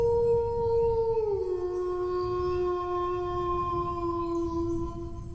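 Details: Sustained dog howl, a pure drawn-out tone that slides down a step after a second and then holds steady and low to the end, with faint low background rumble.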